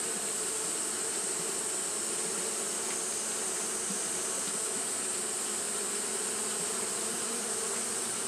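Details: On a hot day, Japanese honey bees keep fanning, producing a continuous low buzzing hum with faint flickers of individual wingbeats and a constant high, sizzling tone running over everything.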